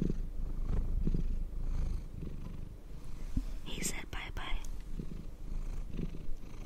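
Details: Cat purring under a brush, low throbbing rumble continuing throughout, interrupted by quiet whispering and a hissy brushing burst in the middle.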